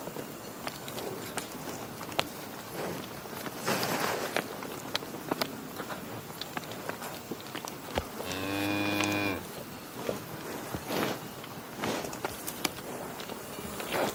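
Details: A lone cow moo near the middle, a short level drone with bright harmonics, surrounded by a busy backdrop of clatter, knocks and rustling.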